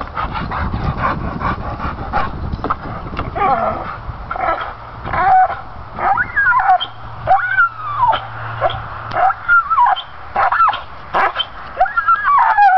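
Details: Stubborn pit bull gnawing at pine branches, giving high wavering whines that rise and fall, broken by short yips and bursts of crunching and scuffling.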